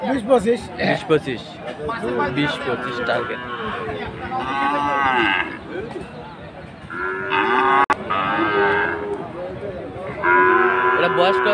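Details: Friesian and cross-breed bull calves at the Aftabganj cattle market in Dinajpur, Bangladesh, on Saturday 18 March: several long, drawn-out harmonic moos, two strongest near the end, over steady crowd chatter and men talking.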